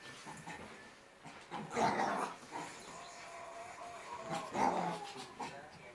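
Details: A six-month-old Shih Tzu named Merlita, racing in circles in hyper mode, lets out two louder growl-like yips about two and a half seconds apart, separated by low scuffling and quieter stretches.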